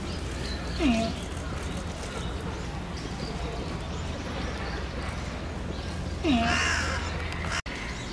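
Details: Falling snow gets giant panda Tantan at Oji Zoo excited, 19 January 2021; she stands up scratching and keeps calling. Two quick falling-pitch calls, roughly five seconds apart, with low droning background and a brief hiss.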